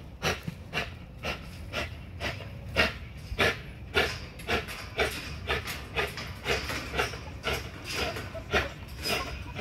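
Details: XL American Bully pitbull on a heavy-duty spring pole during a muscle-building workout, panting hard in rapid, breathy bursts roughly twice a second, with steady low rumbling behind.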